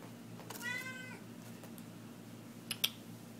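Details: Middle-aged black mixed-breed female cat, heavy-set, chewing a catnip toy and rubbing it on her face indoors; one short harmonic meow mid-clip, with faint clicks and a low steady hum in the room.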